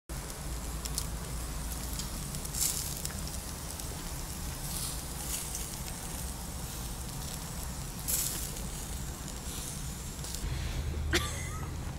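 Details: Steady crackling and sizzling of meat on a barbecue fire outdoors, with a low rumbling hum underneath and a few sharper crackles and pops.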